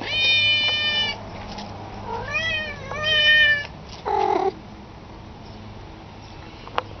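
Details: Pet cat uttering a sustained level meow, then two arched meows rising and falling, a brief nasal squeak, then quiet with a low electrical hum and a single click.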